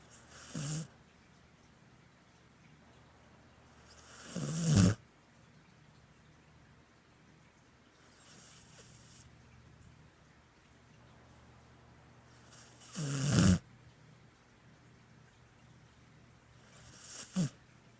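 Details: Border Collie asleep, snoring irregularly: low rattling snorts with breathy hiss, two loud and several softer ones spaced about four seconds apart, otherwise a quiet indoor background.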